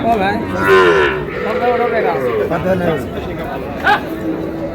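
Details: Cows with calves at Raniganj livestock market in Dinajpur on 25 June 2026: a low, wavering moo that rises then falls, set against dense crowd chatter and traders' voices.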